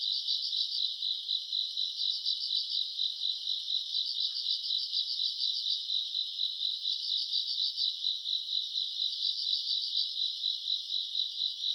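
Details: Summer-night grass insects, recorded around August: a continuous high ringing chorus beating about twice a second, overlaid by short clusters of sharper rapid chirps recurring every two seconds or so.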